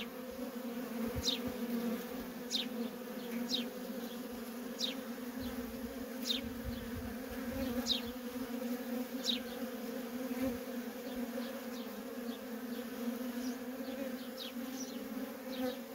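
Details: Continuous drone of worker honey bees streaming in and out of a feral colony, with a scattering of quick, high, descending chirps and fainter ticks, irregular in spacing, over the steady hum.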